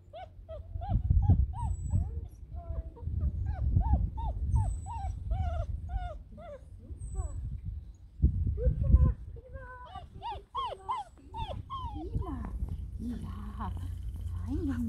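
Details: Six-week-old Hovawart puppies, almost house-trained, giving repeated short high whimpers and yips in quick runs, then a looser burst of squeals and whines near the end, with low rumbling handling noise beneath.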